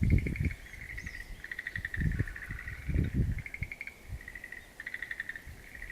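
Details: Frogs calling in a wild-plant garden on 11 April 2013: pulsed, trilling notes in bursts of about one second, repeated with short pauses, over low thumps and rumbling background noise.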